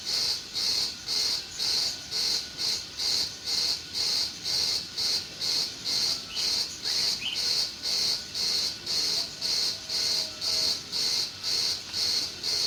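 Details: Crickets in a meadow in June, a steady high-pitched pulsing chirp repeated about twice per second with even rhythm, with a couple of faint brief bird notes in the middle.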